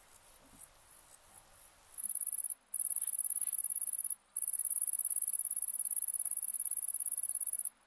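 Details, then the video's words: Grasshopper or cricket song: after two seconds of quiet, a very high, buzzy, rapidly pulsed trill runs almost continuously, broken by short pauses of under a second, over faint low background noise. "Orthoptera sounds"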